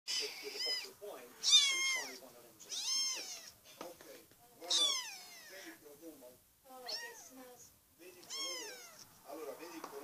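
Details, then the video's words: Five-week-old kittens meowing, several high arched calls with rising then falling harmonics, some overlapping, repeated roughly every second or two, with a human voice speaking softly between them. "Naias kittens 5 weeks old."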